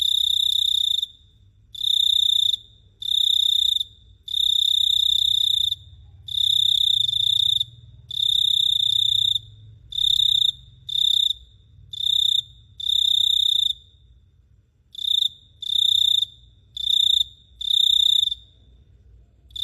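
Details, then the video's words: Cricket at night in Phteah Prey, chirping in loud, shrill trilled bursts of roughly one to two seconds each, about fourteen bursts separated by brief silent gaps, with a faint low rumble underneath. "The Sound of Cricket Chirping is amazing"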